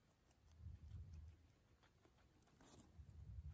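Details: Pano, a male pet guinea pig in Japan, munching vegetables with gusto; soft low crunching and rustling pulses roll continuously, with a few brighter snaps of biting mixed in.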